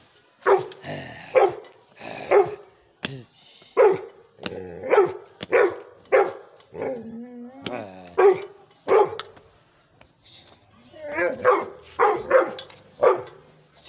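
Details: Young Gull Terrier barking powerfully, with short loud barks repeated roughly every second in a steady series, a brief whining note in the middle, and a human voice heard among the barks.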